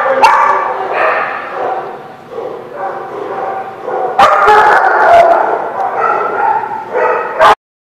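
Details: Dogs at the Barking Lot on 13 March 2017 barking in loud bursts mixed with long wavering whines and howls, several voices overlapping, the barks irregularly spaced before a sudden stop.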